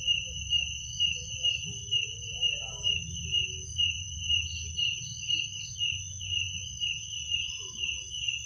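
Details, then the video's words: Crickets at night trilling steadily in high bands, pulsing regularly about twice a second; a few faint mid-range sounds and low background hum beneath. "Suara jangkrik pada malam hari"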